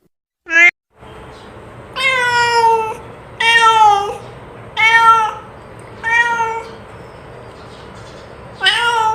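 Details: Domestic cat call used to lure back a lost cat: loud drawn-out meows with rich harmonics, repeated roughly every one and a half to two seconds after a brief opening squeak, in a small indoor room.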